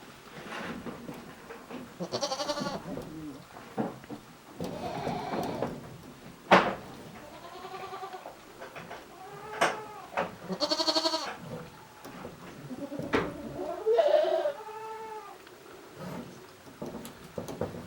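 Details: Several goats resting and ruminating inside their shed at Yoshigake goat farm, a handmade farm, on 29 January 2023, give repeated wavering, nasal bleats with stacked harmonics, several overlapping, alongside occasional knocks and clatter in the shed.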